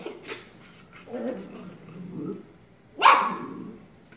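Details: Shiba Inu puppy playfully tackling its sister: low rumbling growls in two stretches, then one sharp, bright bark near the end that trails into a softer growl.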